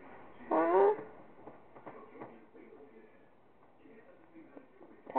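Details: Pet cat named Tiger, a female kitty, indoors, gives one short harmonic meow lasting about half a second, rising then falling, while a woman talks softly to her and praises her as a good girl.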